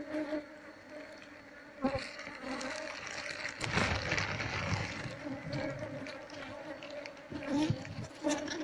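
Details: Honey bees from a colony nesting in a loudspeaker box, being transferred to a hive box; sustained humming drone with faint overtones, rising and falling in loudness, mixed with rustling and thumps from handling.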